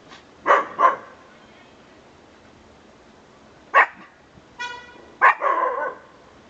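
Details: Conga the dog barks in a quick double, pauses, barks once more, then gives a short tonal whine and a final harsh, extended bark indoors.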